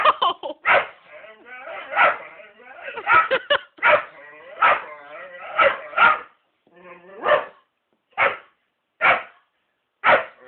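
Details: Whippet eager to reach a black cat, mixing drawn-out tonal whimpers with abrupt yelps and barks, the barks spacing out to about one per second toward the end.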